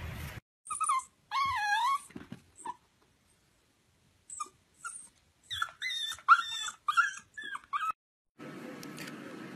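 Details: Corgi dog whining and whimpering: several high, wavering harmonic whines, some long and warbling, others short yelps in quick bursts, with silent gaps between, ending in a burst of low rumbling noise.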